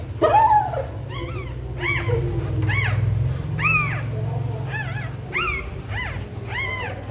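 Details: Pregnant dog in labour scratching a nest before giving birth; high, arching whimpers with bright overtones repeat roughly every second, each rising then falling, over a steady low rumble and faint scratching.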